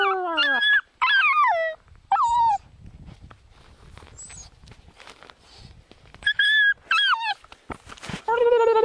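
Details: Small pet dog answering an owner's whistling with brief downward-sliding howls and yelping whines, interleaved with short whistle notes and quiet gaps.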